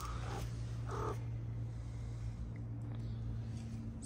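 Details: Homeless street cats in a Moroccan neighborhood, fed outdoors and wary of one another; two short, tonal meows within the first second, followed by a steady low hum and faint street background.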